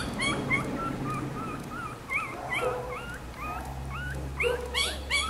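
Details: A litter of black-and-silver Miniature Schnauzer puppies born 18 May whimpers and squeals: thin, wavering, rising-and-falling cries repeated rapidly, with a few sharper yips over a low steady hum.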